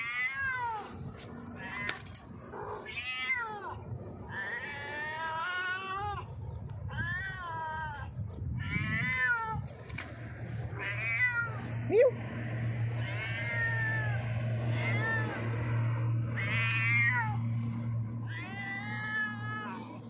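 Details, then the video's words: Hungry stray cat sitting on a rock, meowing loudly to ask for food: a long run of harmonic, wavering meows, some rising then falling, repeated over and over, with a steady low hum underneath. "hungry stray cat sitting on the rock meowing loudly asks me for food."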